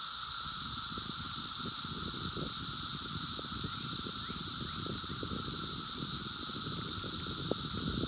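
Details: 17-year Brood X cicadas calling in the wild in 2021, recorded by phone: the steady high hissing chorus and lower drone persist while rustling, crackling noise close by fills the low range.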